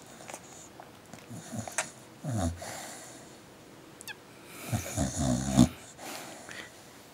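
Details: Sleeping dog, tired yet very active in its sleep, producing low wheezy snores and whimpering breaths in uneven bursts, loudest around the middle and end, indoors.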